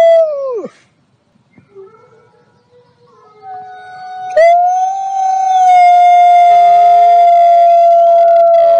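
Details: A wild wolf gives a brief howl that drops away, then a long, steady, mournful howl.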